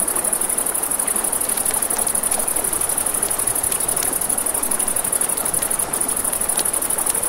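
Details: A steady, shrill cricket trill by a river at night runs without pause, layered over flowing water, with frequent crackles and snaps from a campfire scattered through it.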